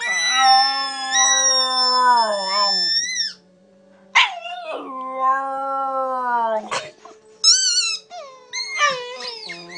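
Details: Buddy the Border Terrier howling: long drawn-out howls sliding slowly downward, the first about three seconds long, a second after a pause, then short high yips and wavering cries at the end.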